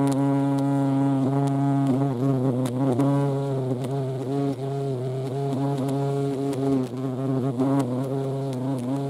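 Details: Hornets at a feeding place shared with ants in Dohr, Eifel, on 28 July 2022: a steady low droning buzz with wavering pitch, several overlapping tones rising and dipping, with faint clicks throughout.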